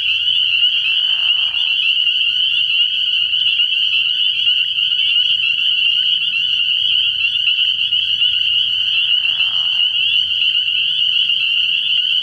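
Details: Spring peepers calling together at night from a frog pond early in the year: a dense, unbroken wall of high, shrill peeps, with two short lower raspy bursts near the start and end and a faint low hum beneath.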